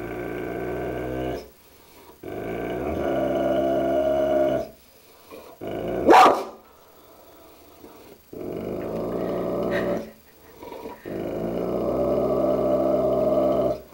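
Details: Dogue de Bordeaux growling at its mirror reflection indoors: sustained deep harmonic growls in long bouts, one sharp bark in the middle, then more rumbling growls, with a man's voice following.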